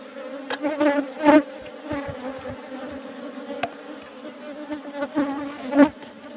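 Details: Asian honey bees (Apis cerana) during a honey harvest from an old-style box hive: a steady low droning hum with layered overtones, broken by sharp knocks and clatter as the hive is worked.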